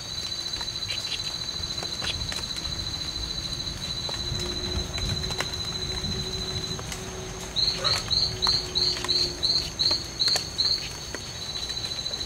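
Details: Strawberry poison-dart frog (Oophaga pumilio), two males locked in a fight at the C.R.A.R.C. reserve on 10 September 2012. A steady high whine runs throughout, then a rapid train of about nine high buzzy chirps.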